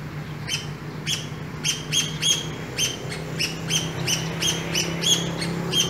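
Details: Chirping from a pair of urban squirrels met on an early morning walk: quick, high, clipped notes about three per second, with constant low traffic rumble underneath.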